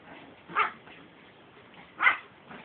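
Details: Shih Tzu and German Shepherd roughhousing in play, two short sharp barks about one and a half seconds apart, with a softer third at the end over quiet background.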